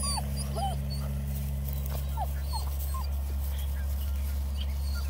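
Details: Bluetick Coonhound puppies at a scent hound breeder in Ontario, Canada, reacting as someone sneaks up on them without talking; a scatter of short, high whimpers and yips, each bending up then down, over five seconds above a steady low hum.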